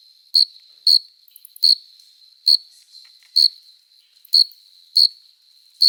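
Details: Cricket chorus on a summer night, adult males stridulating by rubbing their forewings to court females: bright, high, short chirps about every 0.6 to 0.9 seconds, about eight in all, over a faint steady trill.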